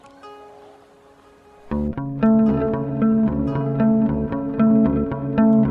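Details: Plucked guitar music with a steady bass line and repeated chords; no animal sound is heard.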